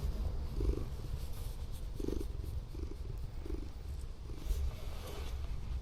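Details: A formerly rescued female Scottish Fold cat purrs very loudly while relaxed and affectionate during an overnight van stay at an abandoned port. The purr is a deep, steady rumble that swells in soft pulses roughly every half to three-quarters of a second.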